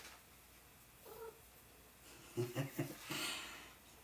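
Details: A domestic cat indoors, likely hearing birds outside, gives a faint, short meow, then three or four low, chirping pulses, followed by a soft breathy rustle in a quiet room.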